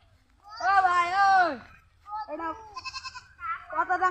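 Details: A goat, taken in a theft in the days before Eid, gives one long, wavering, nasal bleat of about a second. Human voices talking follow right after it.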